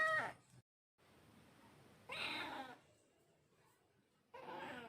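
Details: Cat mewing three times: a short call at the start, a breathy meow after two seconds, and another at the end, with a steady low hiss of room noise between.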